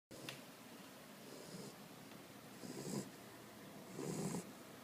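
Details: Sleeping tricolor Corgi snoring softly, three rough, low breathy snores spaced unevenly over a few seconds against a quiet indoor background.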